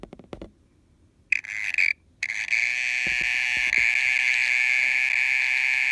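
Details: Mole cricket calling at night, a call kept up for over thirty minutes; a steady, loud, shrill trill starting after brief bursts and then running continuously, with a few faint clicks.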